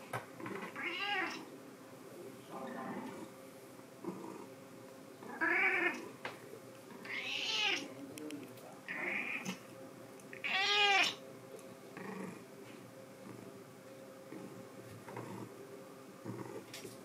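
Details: A white cat named Sea Cucumber meows indoors: several drawn-out, arching meows at about 1, 5.5, 7.5 and 11 seconds, with fainter shorter mews between them and a little quiet human speech in the background.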